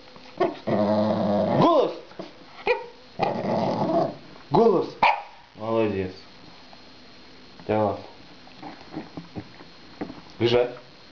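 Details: Five-month-old Shih Tzu puppy barking on command during a playful training session. Short, harmonic, yappy barks and whines come in bursts, and a person gives spoken commands in Russian between them.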